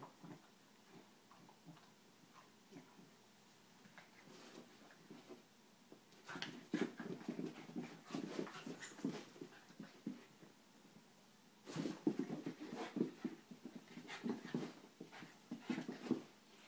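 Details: Schnauzer and Italian greyhound wrestling together; quiet opening with faint snuffles, then bursts of rough growling and grunting play noises from about six seconds and again from twelve seconds, irregular and overlapping.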